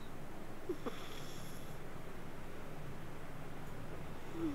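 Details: Sleeping domestic cat purring and snoring: a soft, steady low rumble with a fast, even pulse throughout, a faint high tonal whine in the middle and a brief squeak near the end.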